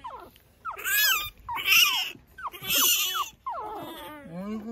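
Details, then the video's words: Pekingese puppy outdoors early in the morning, tumbling about; a series of high, harmonic whines rising then bending down, about four cries spaced roughly a second apart, ending in a wavering lower whimper. "찡찡이 아기페키"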